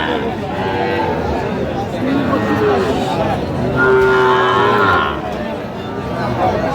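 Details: At a busy cattle market in Faridpur, 17 August 2025, Sahiwal calves are on show; a short lowing call near the middle, then a longer drawn-out moo, both partly buried under men talking nearby.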